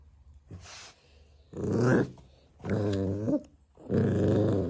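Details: Golden Retriever puppy acting fierce, growling indoors: three long, low, rough growls of about a second each, rising and falling, separated by short pauses.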